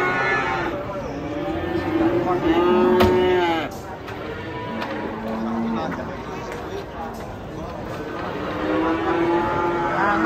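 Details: Raging bull at a market in Indonesia, drawing a crowd of onlookers; long low moos rise above loud crowd chatter and shouting, with a sharp knock near the middle.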